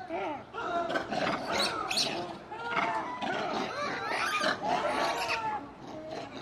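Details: Several zoo monkeys, noticing staff approaching with food, call at once in a loud, excited chorus of harsh barks, rising squeals and chattering notes. The calls overlap continuously with little pause, with some human sounds in the background.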